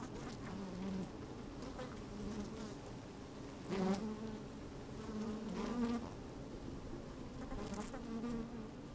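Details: Honey bees in an opened hive on a sunny day, captured with a microphone inside the hive; a low hum broken by short wavering buzzes, louder bursts near four and six seconds, with scratchy tapping of moving bees.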